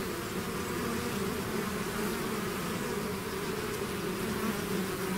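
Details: Bees swarming out of their hive create a dense wall of buzzing, a low even drone with gently shifting pitches layered inside, constant throughout.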